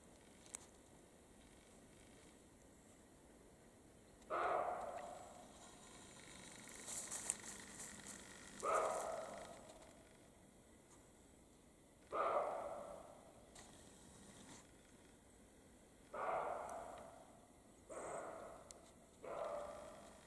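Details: Male and female European roe deer in the Carpathian mountains during the mating period; sharp, rasping barks arrive about every four seconds, each starting abruptly and trailing off, with light rustling between calls.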